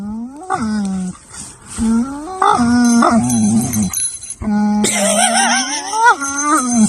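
A dog gives drawn-out, wavering howls that rise and bend in pitch, with a person talking nearby.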